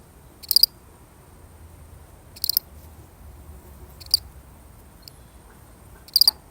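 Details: A single lonely cricket in a real recording, giving short, high, trilled chirp bursts roughly every one and a half to two seconds, four strong chirps and one faint one, over a quiet low background hum.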